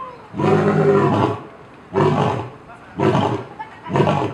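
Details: Loud captive lion at Cincinnati Zoo bellowing; four harsh, rasping roars, each about one second long, with strong low harmonics, coming roughly once a second with short pauses between.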